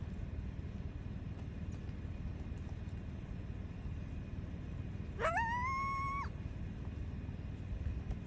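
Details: Wild coyote in Wyoming challenging another coyote: one sharp rising cry that levels into a steady, harmonic-rich howl lasting about a second, heard over a constant heavy low rumble.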